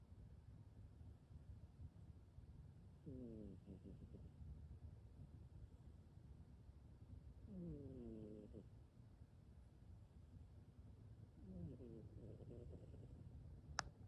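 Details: Maxine, a pet cat, sleeping with one eye open and snoring indoors: three soft, buzzy, harmonic snores about four seconds apart over a low steady rumble of breathing, with a faint click at the end.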